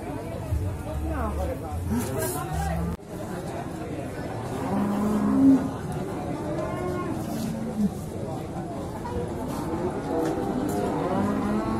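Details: Bulls for beef in the male-cattle section of Singkil cattle market, Boyolali, on Saturday Pahing, 6 July 2019. A low, drawn-out moo swells near the middle of the clip, set against steady crowd chatter, voices and engine rumble.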